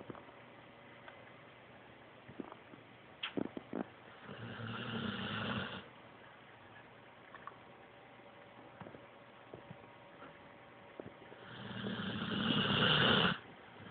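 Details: A domestic dog snoring: two long, raspy, breathy snores about two seconds each, several seconds apart, in a quiet room with a faint steady background hum and a few soft clicks between them.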